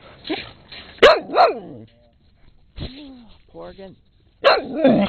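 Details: Dogs recorded in late 2006: Rusty, a brown skinny mutt barking up a storm, and Peekero, a red Husky. Sharp, loud barks burst out in short clusters with pauses between, mixed with people talking to the dogs.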